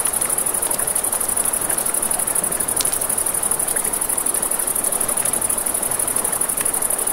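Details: At night by a river, crickets sustain a piercing, finely pulsed trill, accompanied by the constant wash of flowing water and intermittent crackling of a campfire.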